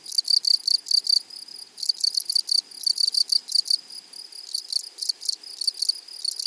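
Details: Grasshoppers in meadow grass giving loud rasping chirps in rapid clusters, several pulses per second, bursts separated by brief gaps, with a thin steady high tone running through.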